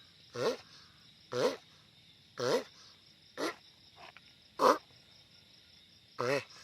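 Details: Giant sulcata tortoise making loud noise: six short, throaty groaning bursts with a wavering pitch, spaced about one second apart with a longer gap before the last, over a steady high-pitched hum.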